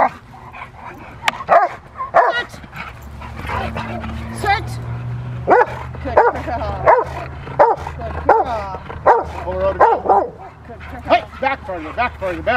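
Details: Rottweiler bitch Freya vh Odom in protection training, November 21, 2021, ahead of IGP1 and Ztp tests. Deep, forceful barks come in irregular volleys, roughly one or two a second, mixed with short spoken commands from handlers.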